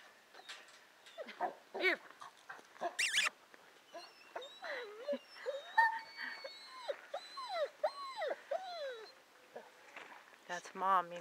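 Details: Pet dog romping and singing, giving rapid high yips and whimpering whines that rise and fall in quick bursts, with faint rustling in the background.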